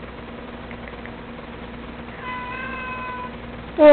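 A domestic cat gives a soft, drawn-out meow, then starts a louder one that is cut short.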